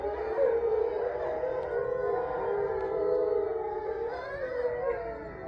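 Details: Grey wolf pack of eight captive residents in Ipswich, Massachusetts, howling at night during a full moon, November 27, 2023; many voices overlap in smooth sustained howls, some rising and falling, forming a thick continuous chorus.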